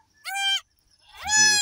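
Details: Goat on a farm during the birth of three female kids: two high, wavering bleats with rich harmonics, the second slightly longer and overlapped by a low human voice, separated by a short silence.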